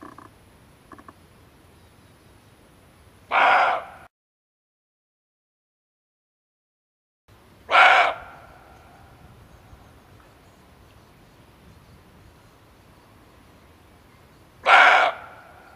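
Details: Male barking deer calling, a recording meant as a hunting lure: three sharp, raspy barks spaced several seconds apart with a silent break, over low background hiss.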